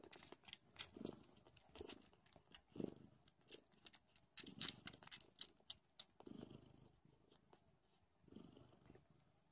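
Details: Don Sphynx kittens, a hairless cat breed of Russian origin, nursing loudly indoors with their mother: low rumbling purr bursts pulse roughly once a second, mixed with wet sucking clicks and smacking sounds.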